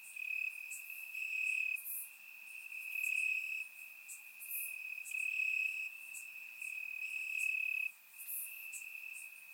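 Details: Bulgarian summer night chorus of crickets in the grass, captured in surround sound: one continuous high-pitched trill underlies repeated sharper chirp bursts that rise and fall in loudness roughly every second.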